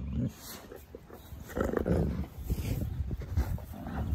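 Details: Wolfdogs in rough play with mouthing and teeth, a female growling to reassert dominance while the male submits; low grumbling growls in uneven bursts, a man commenting in the background.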